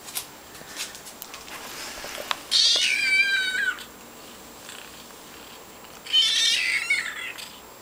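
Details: A young female kitten adopted from an animal shelter does her trick when she wants something: two loud, high, strained meows, the first long and falling in pitch, the second shorter, with faint clicks between.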